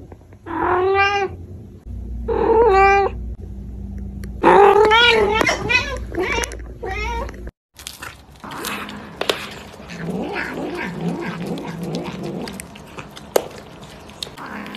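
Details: Cat meowing in a series of short wavering cries in the first seven seconds, then a cut to busier mixed indoor noise with fainter, less distinct sounds and clatter.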